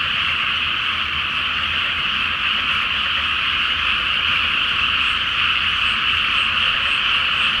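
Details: Frogs in a loud night chorus from a flooded rice paddy before planting, under a full Flower Moon. A dense, continuous wall of rapid rattling croaks stays steady throughout, with a faint low hum beneath.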